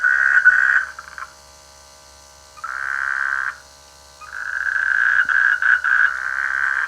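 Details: Rainy-season frog in a village rice field, croaking in three rattling bursts of one to two seconds each with quiet gaps between, the last burst longest and broken into quick pulses.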